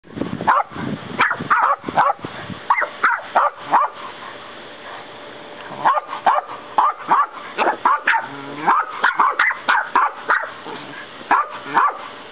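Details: A West Highland white terrier puppy and a 10-year-old Westie trade short, sharp, high yapping barks in quick bursts, as if chatting over who gets the last bark.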